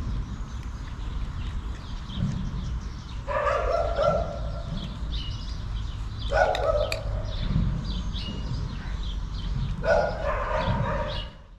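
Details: Fluffy-tailed female calico cat meowing to ask for food: three loud, harmonic meows about three seconds apart, over a steady low rumble.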